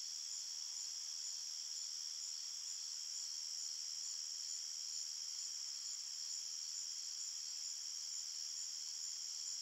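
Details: Night-time forest crickets form a continuous shrill chorus of overlapping high trills, even in loudness from start to finish, with nothing else in the background.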